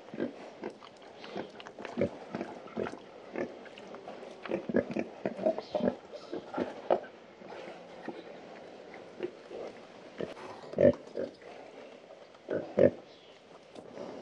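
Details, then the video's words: Pigs scratching and grunting on a farm; low, soft grunts scattered irregularly about every two seconds over a steady rustling, scraping background, with a couple of louder grunts near the end. "Pigs (Scratch and Grunt)"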